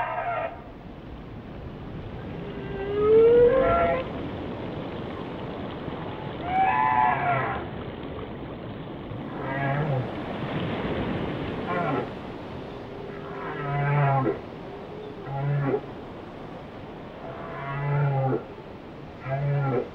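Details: Whale song in a repeating sequence: a clear rising whistle early on, then groaning harmonic downsweeps alternating with short low pulses every few seconds against constant watery hiss.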